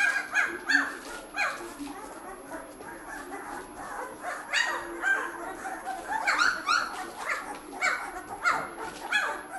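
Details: Nine Bernese Mountain Dog puppies in their second week of life whine and squeal in a litter, high wavering cries rising and falling, several voices overlapping in quick succession with brief pauses.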